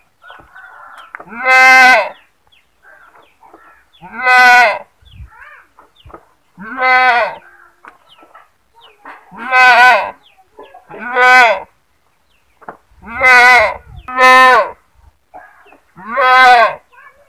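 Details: Goat giving seven strident, wavering screams over about seventeen seconds, some in quick doubled pairs. Softer background noises fill the pauses between them.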